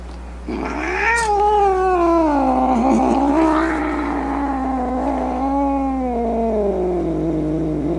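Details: Angry domestic cat letting out a long warbling yowl that starts abruptly, wavers up and down in pitch with rough snarling edges, and slowly sinks lower over eight seconds; steady low hum in the background.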